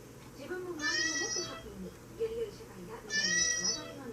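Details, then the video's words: Two clear, high-pitched meows from a tabby Maine Coon, each about half a second long with a bright harmonic, slightly descending shape, over soft low background voices. "メインクーンタビー 猫の鳴き声"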